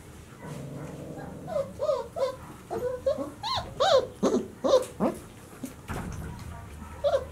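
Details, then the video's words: Twenty-six-day-old White Swiss Shepherd puppies whimpering and squealing indoors, high wavering cries coming in quick uneven bursts, with a few soft grunts and rustling between them. "2019 puppies 26 days old"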